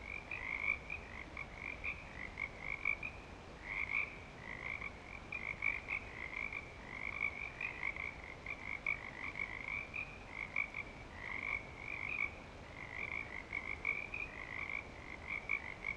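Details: Frogs calling in breeding season at Clearwater Commons: a dense chorus of overlapping trilled calls, high and bright, pulsing continuously without a break, with a faint lower harmonic band beneath.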